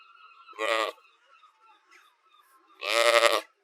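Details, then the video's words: Sheep bleating, two loud nasal baa calls about two seconds apart, each under half a second, with quiet gaps between and faint background noise. "SHEEP SOUNDS FOR KIDS EDUCATION - Baaing, Bleating, Yelling & Screaming HD Sounds"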